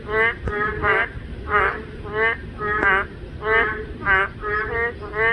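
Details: Male boreal digging frogs calling to attract females, one answering another. Nasal, buzzy harmonic croaks repeat roughly twice a second, about a dozen in five seconds, from several overlapping callers.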